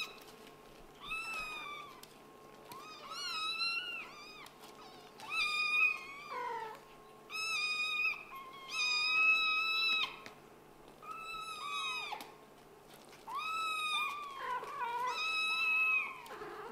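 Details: Kitten from a Scottish Fold and British Shorthair litter calling insistently indoors, a long run of loud, drawn-out meows about every two seconds, some rising then falling, with a faint steady hum behind.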